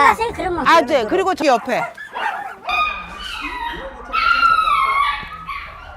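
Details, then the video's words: Puppies heard inside a vinyl greenhouse at a puppy mill, among empty cages. Rapid wavering whimpers and yelps in quick succession, then a pause and several drawn-out, high, quavering whines. "어디선가 강아지 소리가 들리는 비닐하우스 텅 빈 철장들을지나 소리 나는 곳으로 갑니다"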